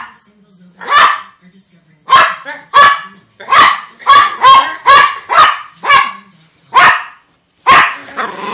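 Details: A dog barks repeatedly in loud, sharp, harmonic-rich bursts, about ten barks spaced roughly a second apart, some doubled; quiet low voices murmur between barks.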